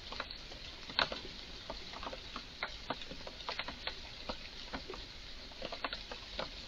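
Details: An excited Eurasian red squirrel in a garden produces unusual noises: abrupt ticking chucks, one louder click early, then clusters of quick dry clicks at irregular intervals.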